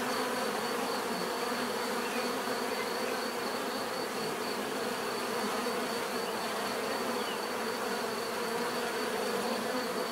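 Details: Steady swarm-like hum of numerous bees, even and unbroken for the whole stretch, low droning bands topped by a faint high whine.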